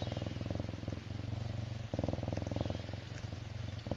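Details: A contented serval purrs steadily, a deep rumbling buzz broken into long phrases by brief pauses for breath.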